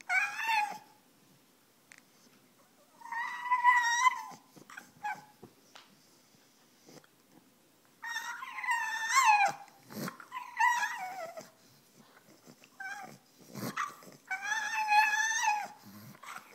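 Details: A pet French Bulldog, female, whines while begging for her bone. Four bursts of high, quavering whimpering are spread over several seconds, with long silent pauses and a few faint clicks between them.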